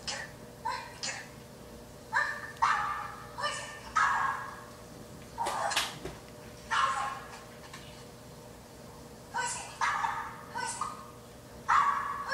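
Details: Indoor pug barking at a dog on a screen: short yelping barks in scattered bursts, some in quick pairs and triplets with gaps of a second or more, over a steady low hum.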